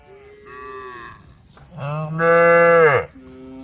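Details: Forest-grazing herd of female cows; a quiet mid-pitched moo, then a deep loud bellow that swells and breaks off sharply, followed by a faint lingering call.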